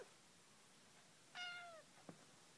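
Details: Domestic cat indoors giving one clear meow that starts high and slides downward over about half a second, followed by a soft click, in a quiet room with faint background hiss.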